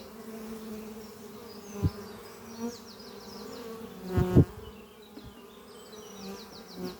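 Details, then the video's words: Honey bees flying at the hive Doppio, a horizontal hive made from an old French oak chest under trees, on a spring morning: a steady low drone with two louder close fly-bys and distant rapid bird trills overhead. "Relaxing sound of bees flying at beehive Doppio on a spring morning"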